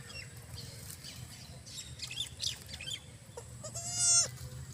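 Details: Goat on a goat farm in Cooch Behar, giving one drawn-out, nasal bleat with a steady pitch near the end, after quieter scattered chirps and a low background hum.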